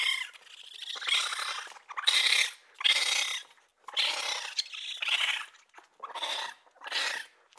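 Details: Raccoon producing raspy, hissing bursts about once a second, each harsh and breathy, with short gaps between them.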